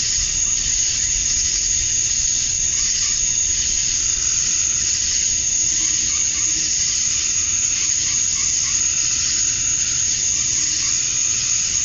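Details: Dense chorus of male cicadas on a summer evening at dusk in Georgia, USA, calling to attract females: a broad, hissing high wash that swells and eases in slow waves over a constant shrill tone.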